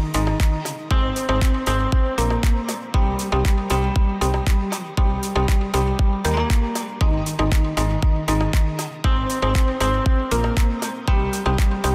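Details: Steady electronic dance track with a driving beat and repeating bass pattern throughout; no animal voices.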